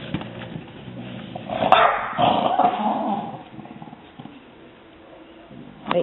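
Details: Indoor French Bulldogs, more than one, bark after spotting a neighbourhood cat outside. A loud burst of barking and growly yelps peaks midway, then settles. A woman speaks over the dogs, telling them to stop.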